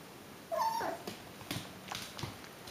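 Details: Alaskan Klee Kai pup, six weeks old, lets out one short, high whine that bends upward and then drops. A few dull taps follow in a quiet room.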